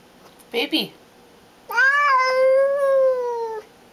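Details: Female house cat acting as a guard and asserting dominance gives a brief rough squall, then a loud drawn-out tonal yowl of about two seconds that rises and slowly falls, in a small room.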